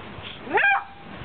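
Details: A Basset Hound lying almost on a quilt gives a single short, rising squeak of joy.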